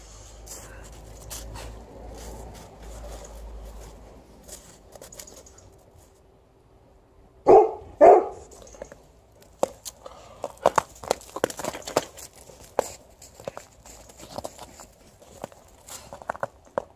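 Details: Alaskan Malamute playing outdoors with a Golden Retriever, digging, rolling and refusing to come in; after a quiet stretch two loud, short barks come close together, followed by scattered clicks and rustling.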